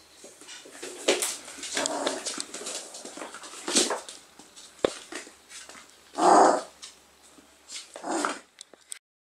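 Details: Four-week-old Whippet puppies whimpering and yelping in uneven bursts, including a louder cry near the end and scattered shorter squeaks.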